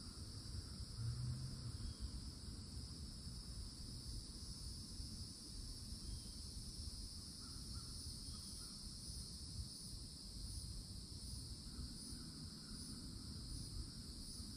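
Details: Loud summertime cicadas at a Florida forest edge hum in a continuous high, double-toned buzz from the oak canopy. Faint short bird calls cut in now and then, with low rumbling background noise.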